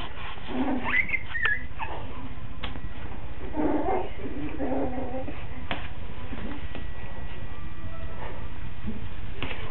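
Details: Coton de Tulear puppies, five weeks old, in Orange, Connecticut: short whimpering calls at 1 s and near 4 s, a few faint higher squeaks, over a steady low indoor hum.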